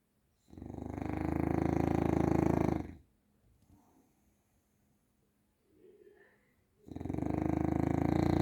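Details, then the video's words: A bulldog named Grizzly snores loudly, with a harsh, buzzing inhale lasting over two seconds, then a quiet pause with soft breathing before the next rasping snore begins. "Snoring Bulldog"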